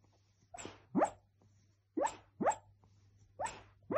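A sleeping Cocker Spaniel gives soft, muffled woofs in quick pairs, each rising briefly in pitch.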